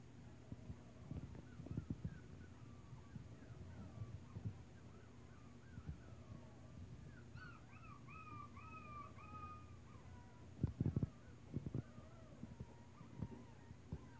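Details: Six-week-old Schnauzer puppies from Sugar's litter, recorded 28 November 2016, give a run of thin, high whines that rise and fall, clustered in rapid repeated bursts mid-clip, with low thumps and handling knocks underneath.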